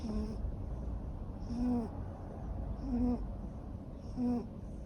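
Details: A sleeping long-haired male Ragamuffin cat, neutered, born May 2014, which snores now and then. Rhythmic snores come about every 1.3 seconds, each a low buzzy rasp with a breathy hiss on the in-breath.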